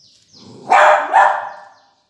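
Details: Beagle puppy barking: two quick, sharp barks about half a second apart, the second slightly softer, after a faint whine at the start.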